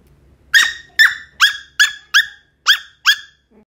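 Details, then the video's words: Sheltie digging and barking: after a brief quiet start, seven crisp, high-pitched barks follow in a fast, slightly uneven run, each short and sharp with a quick fall in pitch, with near silence between them. "Sheltie Barking Digging"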